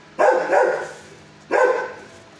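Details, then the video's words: A six-year-old dog in a shelter kennel barks at first and later calms down after seeing a quiet neighbouring dog get fed. Two loud, harmonic barks about one and a half seconds apart, the first doubled. "at 1st he barks but calm neighbor showed way"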